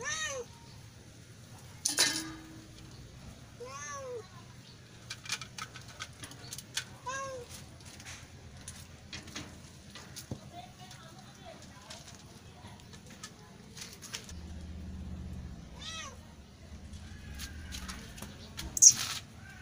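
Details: Kitten meowing, played to attract cats: short, faint, arched meows with rising then falling pitch, scattered through the recording a few seconds apart, over soft clicks and a low background hum.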